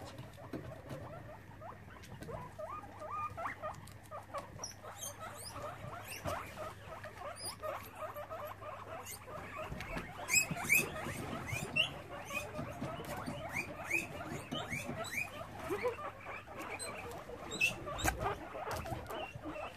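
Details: Many guinea pigs at a rescue sanctuary in Brisbane, Australia, during an evening check, make dense, overlapping squeaks and chattering with scattered sharp high chirps, plus rustling, pattering movement and a low steady hum.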